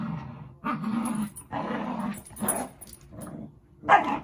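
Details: Two dogs, Zuko and Izzy, play-fighting at home: a few low, gravelly growls in separate bursts, ending with a brighter, higher yip.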